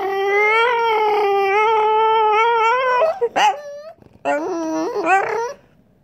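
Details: French Bulldog revving out a long, steady nasal whine likened to a racetrack car, slightly rising over three seconds, then choppy yelps and another rising whine segment.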